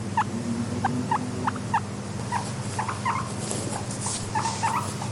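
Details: Wheeking from a guinea pig kept as a content pet: sparse, fainter rising squeaks, spaced irregularly across a few seconds, against a steady low rumbling background.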